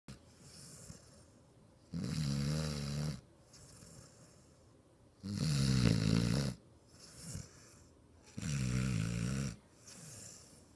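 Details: Ozzy, a six-month-old American Bulldog, snoring while asleep: three loud, rasping, low-pitched snores, each lasting a second or more and spaced about three seconds apart, with softer breathing in between.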